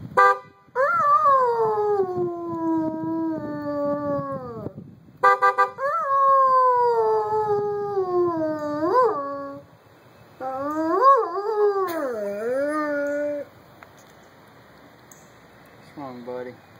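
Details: A pet dog howls at a car horn, giving long falling howls and wavering, rising-and-falling notes, with brief horn honks between phrases and a quieter stretch near the end.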